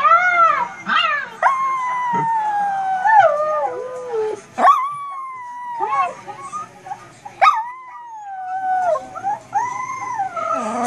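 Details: A puppy 'talking' at a computer: long, wavering, howl-like whines that rise and fall in pitch, broken by short yelps and rough bursts, with slight pauses between phrases.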